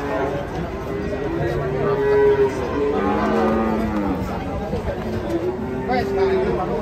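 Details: Agitated cattle coming down off a truck during unloading: long, low, drawn-out moos with smooth rising and falling tone, several overlapping, over a murky background of voices and handling noise.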